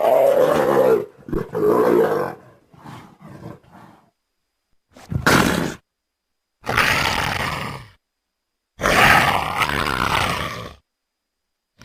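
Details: Leopard making harsh, raspy growling roars in separate bursts, some long and some brief, with gaps of silence between them.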